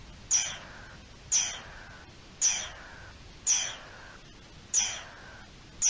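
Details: Garden dormouse raising the alarm on 3 April 2021: six loud, grating calls that fall steeply in pitch, roughly one per second, with little else audible.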